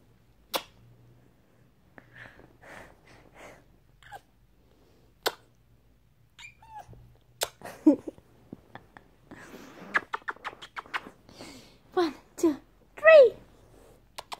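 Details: Male pet cat being teased and annoyed: a string of short, throaty meows and chirps, sparse at first, then quickening into louder, drawn-out wavering wails toward the end, with a few sharp clicks in between.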